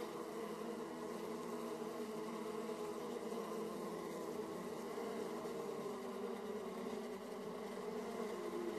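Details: Steady hum of honey bees flying at hive entrances, Austria, 31 March 2014, 18°C, recorded by a small camera: thick even drone of overlapping wingbeats with a stable tone throughout.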